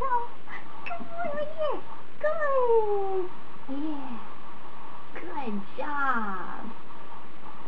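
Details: Bond, a 28-day-old Standard Poodle puppy on his fourth day of training as a future service dog, gives a run of high whines and whimpers, each harmonic squeal sliding downward, some overlapping, indoors with a faint background hum.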